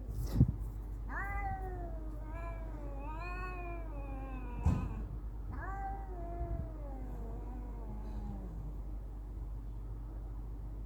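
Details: Cats in a fight, giving long drawn-out wailing yowls with rich harmonics that rise then sag slowly, three main howls spread over eleven seconds, with a steady low hum underneath.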